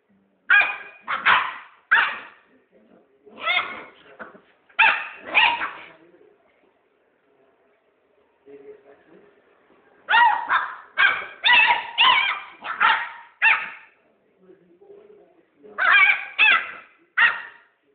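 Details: Puppy giving bursts of short, high, sharp yapping barks in quick runs of three to five, with pauses between the runs.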